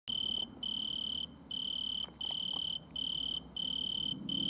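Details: An Italian tree cricket (Oecanthus pellucens) stridulates at night in a butterfly bush under a red lamp, singing a soft, pure-toned trill in bursts about a second long.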